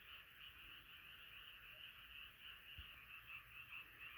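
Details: Night chorus of many frogs, a thick, even stream of overlapping croaks that pulses softly throughout, with one brief low knock.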